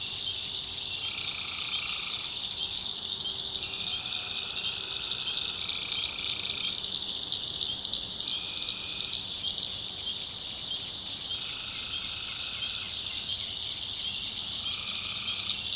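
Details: Many tree frogs calling at night in North Carolina backwoods: a continuous high buzzing chorus punctuated by repeated lower trills of one to two seconds, alternating between callers, with a soft low drone throughout.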